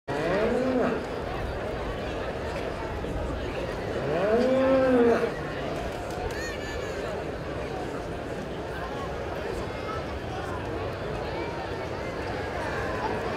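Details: Hereford cattle at the Palermo 2015 show, reserve champion judging: two bellowed moos, a short rising-falling call then a longer arched one near five seconds, over loud crowd chatter and a public-address voice.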